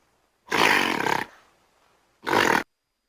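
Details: Two harsh, broadband gorilla roars: the first lasts nearly a second, then after a quiet gap a shorter, abrupt second roar follows.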